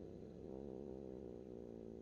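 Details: A cat purrs continuously at close range, a low, evenly pulsing rumble with rich harmonics and no pauses.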